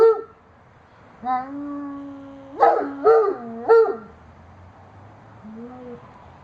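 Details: Riggs, a pet dog in Austin, Texas, howling at sirens in October 2009: a long, steady, mournful tone, then three short rising-and-falling yelping howls, and a softer closing wail, with a quiet background.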